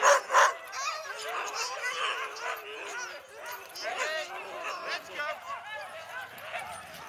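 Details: Siberian huskies, eager before pulling two sleds across the snow on a snowy day, yip and yowl rapidly in overlapping waves. The calls are short, bending and high-pitched, with two loud barks at the start.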